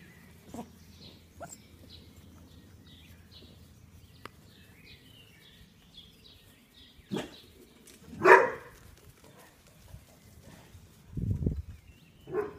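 A Vizsla puppy gives a few sharp, yelping barks, spaced irregularly, with faint birdsong behind.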